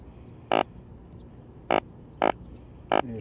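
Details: Yellow drum (sujogi), a fish with a swim bladder, croaking by the force of its belly. Four short, harsh, ringing croaks come at uneven gaps of about half a second to a second, over a quiet hiss.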